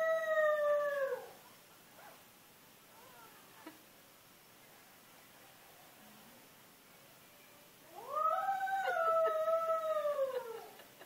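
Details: A domestic dog howling: a long, drawn-out tonal wail with clear overtones that slides downward at its end, then several quiet seconds before a second howl rises, holds steady and falls away again.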